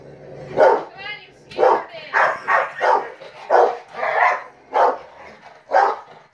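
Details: Rottweilers, four of them, objecting to a fly swatter; loud, rough barks spaced roughly every half second, with a short whining yelp and some voices mixed in.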